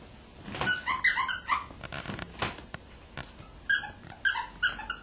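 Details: Chihuahuas Cheri and Rima, together with Bella, indoors in a small room: a burst of high, harmonic squeaks and short yips in the first second and a half, a quiet gap, then three sharp squeaks near the end.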